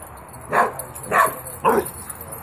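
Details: Female West Highland White Terrier playing in a garden with a friend: three short, sharp barks roughly half a second apart over a steady background hiss.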